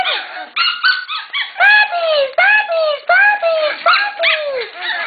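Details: Shetland Sheepdog puppies in a litter being readied for new homes give a rapid series of short, downward-sliding yelping whines, roughly one a second and somewhat irregular. A person calls to them over the top.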